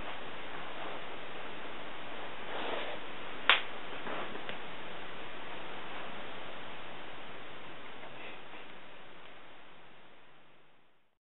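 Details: Steady indoor hiss with one sharp snap-like click, slowly fading out.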